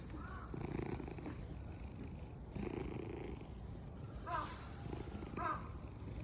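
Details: Tuxedo cat at Fushimi Inari, eyes narrowed and in a very good mood, purring loudly: low rumbling bursts in breathing cycles, with faint brief chirps above.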